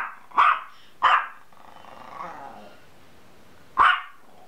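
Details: A dog gives two quick barks close together, then a soft, low rumbling growl, then one more bark after a gap of nearly three seconds.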